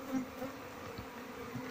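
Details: Low, even drone of Asian honey bees from a colony with no queen, whose honey combs hold no larvae, while the hive is searched for the queen; a steady hum with a few soft taps.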